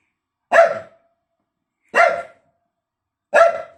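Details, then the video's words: Dog barking at its bone gives three sharp, ringing barks evenly spaced about one and a half seconds apart in a quiet indoor setting. "bellt seinen Knochen an Dog barks at his bone"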